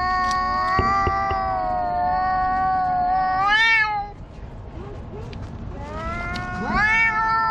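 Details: Two black stray cats argue loudly in a park; a long level yowl ends in a rising, quavering bend, a quieter stretch follows, then another yowl climbs steeply.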